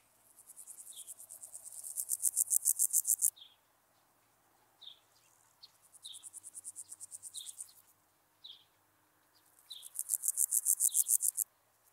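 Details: Meadow grasshopper (Pseudochorthippus parallelus) singing at Elsbethen, Austria, on 27 July 2019: high buzzy verses of rapid pulses swelling in loudness, each about three seconds long, separated by pauses with brief high chirps from other insects.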